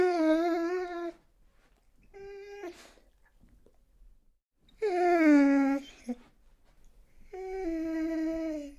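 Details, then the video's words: A dog cries in drawn-out, sliding whines, some dipping then rising, plus a short clipped whimper. Pauses of a second or more separate the cries, and little background noise is heard. "the sound of a dog crying"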